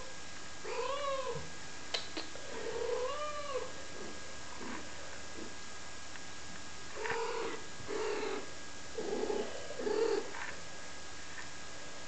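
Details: Wren's kittens at five weeks old, recorded April 7th 2011: a series of arched, harmonic meows that rise then fall in pitch, clustered near the start and again between seconds seven and ten, over a steady low room hum.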